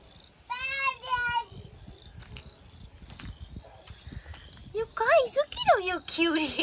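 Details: Young British Labrador Retriever puppies at four and five weeks old, black and yellow litters born May 2020, give two short bursts of high harmonic whines, a quieter stretch with faint talk, then a rapid run of squeaky, bending yelps and whimpers.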